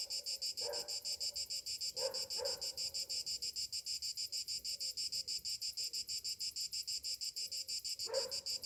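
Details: Summer morning cicada chorus: rapid, steady pulsed buzzing about three beats a second, with a few brief low knocks or thumps in the background.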